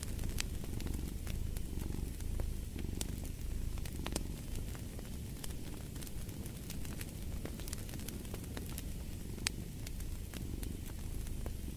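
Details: A cat purrs in a soft, deep vibrating drone with gentle rhythmic rises and falls, mixed with frequent crisp crackles from a burning fireplace.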